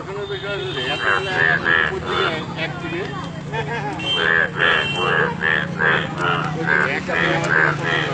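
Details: Chorus of yellow frogs in Alipurduar: bright, bleating croaks in quick, uneven runs of about two or three per second, with a constant low motor drone underneath.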